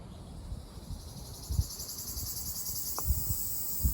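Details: Ryukyu large brown cicada, known locally as nābikachikachī, singing in Okinawa on 4 June: a steady, shrill, high buzzing drone with fast pulsing, over low rumbling background noise and one short click.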